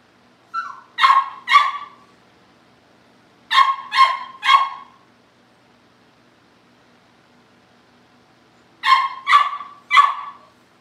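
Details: Cavalier King Charles Spaniel puppies kept at a family home, being readied for pick-ups; bursts of two or three shrill puppy barks separated by pauses of a few seconds, with a short whine opening the sequence.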